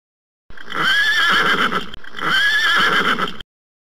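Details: Horse neighing twice back to back, each whinny about one and a half seconds, shaky and quavering with a wavering high pitch.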